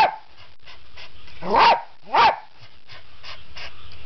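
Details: Domestic dog impatient to be taken for a walk gives two loud barks in quick succession mid-clip, with faint whines and soft indoor background noise around them.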